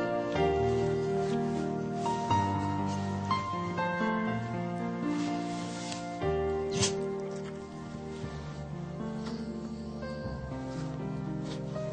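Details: Slow, tender instrumental music with sustained tones and gentle chord changes plays throughout, with no animal sounds.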